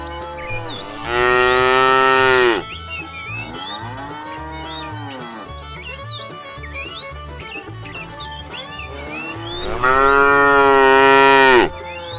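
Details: Herd of tame cattle being moved toward fresh pasture: a loud, long moo, then a softer falling low, and a final strong bellow near the end, with small birds chirping throughout and a low rhythmic pulse underneath.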